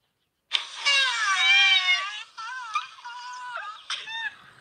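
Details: Recorded black rhinoceros vocalizations played back by a keeper at Africam Safari to test a rhino's reaction: a long, strained harmonic squeal that wavers and bends, then shorter wobbling squeaky tones with brief breaks, all through a speaker.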